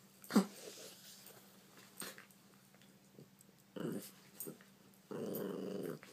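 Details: Puppies at play: two short growling bursts, the second a steady rumble of about a second, between sharp taps and clicks of movement.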